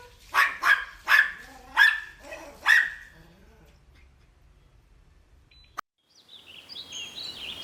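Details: Playful puppies on a lush green meadow give a quick burst of about six loud barks within three seconds, then quiet, a sharp click, and light bird chirps at the end.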